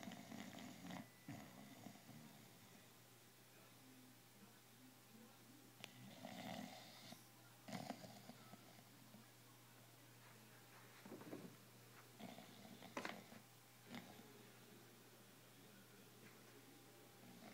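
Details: Wrigley, a bulldog, sleeping on his couch indoors: soft, rough snorting breaths come in irregular bursts, some louder raspy snores among quieter breathing, over a steady low electrical hum.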